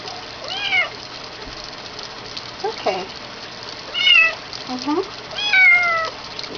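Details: Bathing kitten, female, complaining while her neck is washed: scattered high meows and short squeaks, the last ones long and descending, with a quiet gap of dripping and handling noise at the start.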